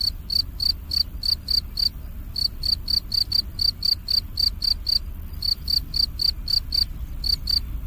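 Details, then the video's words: Cricket in autumn chirping in a rapid regular train, about four chirps a second, each a brief high pulse, with short gaps between groups of chirps and soft low background noise. "가을 귀뚜라미소리,귀뚜라미 울음소리"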